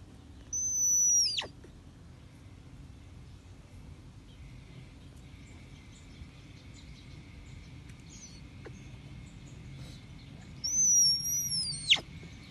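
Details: One of two male snow leopard cubs born on 26 April at a big cat sanctuary gives two thin, very high squeaks that slide downward, about ten seconds apart.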